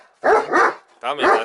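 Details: Odin, a German Shepherd, gives two loud, harsh barks, each drawn out and split into two pulses, about 0.8 seconds apart.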